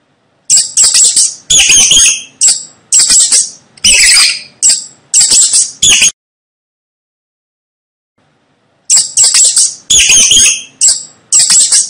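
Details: Sharp, piercing squeaks from a rat, delivered in a rapid series of short bursts for about five seconds, then silence near the middle before the chittering squeals resume.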